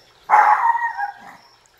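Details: Fifty-day-old puppies in a playful pack attacking a person: one drawn-out, slightly wavering puppy yelp-bark lasting close to a second, trailing off, over a quiet background with a faint high hum.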